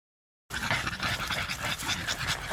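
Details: Four-year-old female French Bulldog kept at home, tired after a walk and eager to chase an insect racket, panting in fast, breathy bursts after a half-second silence.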